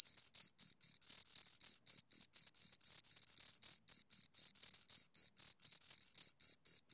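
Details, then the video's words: High, rhythmic chirping from two crickets, short scraping bursts repeated around four times per second, interleaved slightly, clear and isolated. "Two Crickets Chirp Sounds"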